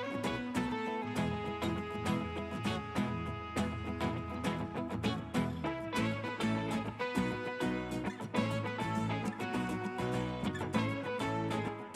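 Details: Steady swing-style instrumental music with guitar and percussion plays throughout at moderate volume, with no barking or other animal sounds.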